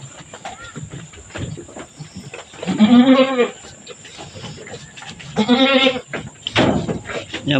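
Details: Newborn twins beside their mother Mama Brown, a goat that just gave birth to a black female and a brown male kid. Two drawn-out, vibrating bleats about three seconds apart, with a human voice and handling noises around them.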